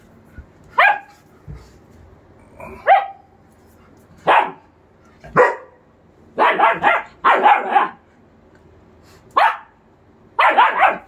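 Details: German Shepherds, a two-month-old puppy and a three-year-old adult, playing together; short sharp barks in single bursts and quick doubles and triples, spaced one to two seconds apart over a quiet background.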